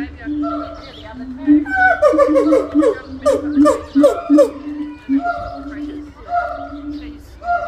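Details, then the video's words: Gibbon call meant to mark territory and strengthen family bonds, opening with level, sustained hoots that break into a quick series of sliding, swooping notes, then settle back into long steady tones. "Call of the Gibbon"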